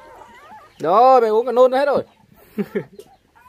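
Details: Five orphaned puppies whose mother was taken by dog thieves when they were six days old, now being bottle-fed milk at home. One wavering, high, tonal whine lasts about a second, followed by a few short, softer squeaks.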